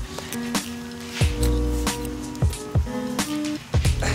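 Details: Upbeat music with steady thumping beats and sustained tones plays throughout, with no animal voice heard.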